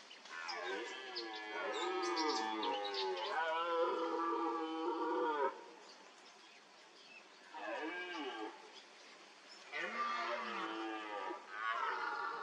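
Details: Red deer stag visiting a mud wallow in the rutting season; a long drawn-out bellowing roar followed by shorter moaning calls with falling pitch, several roars across the stretch with brief gaps.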